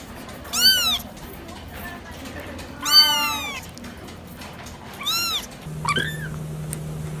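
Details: Cat meows, three loud arched calls about two seconds apart, the middle one longer and bending downward, followed by a brief softer chirp and a steady electrical hum.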